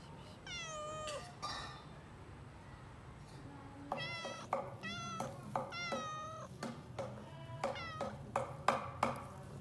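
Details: Domestic cat meowing in a small indoor room: several drawn-out, harmonic-rich meows that fall in pitch, followed by a run of shorter, repeated meows and chirp-like calls over a low background hum.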